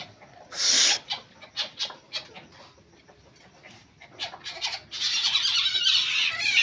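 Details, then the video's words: Musang, or palm civet, giving one loud rasping burst, then a string of short, scratchy, clicking notes, ending in a sustained harsh hiss that runs for nearly two seconds. "suara musang"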